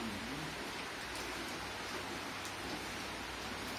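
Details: Steady broadband hiss like rain falling on a surface fills the whole recording, recorded on a farm on a November 2021 morning in Mimoso do Sul, Brazil; no animal calls stand out.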